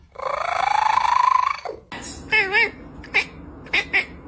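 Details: Domestic cat: a long, drawn-out rising yowl, then a short wavering, warbling cry and a few brief squeaky calls, with background noise from people.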